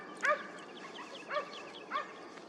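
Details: Hunting hound during a hare hunt at the 2023-24 season opening: three ringing, slightly falling bays, roughly half a second to a second apart, over steady outdoor hiss.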